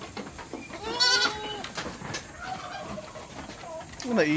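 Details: Goat in a Philippine herd in summer, in the morning before being let out, giving one short wavering bleat, followed by fainter calls, a voice and clattering noise.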